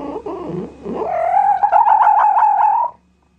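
A fox gives a rough, muttering sound, then a drawn-out, high whining wail held at a steady pitch.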